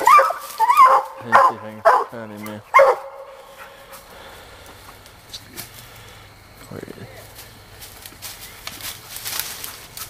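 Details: Sadie, a young female Black and Tan coonhound, catching her raccoon on a hunt, gives four or five hoarse barks in the opening seconds, followed by rustling, handling noise and faint voices.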